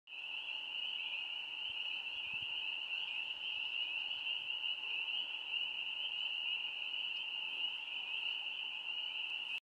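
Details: A dense chorus of spring peepers (Pseudacris crucifer) in Grey County, Ontario, Canada: high piping peeps blending into one steady, shrill ring.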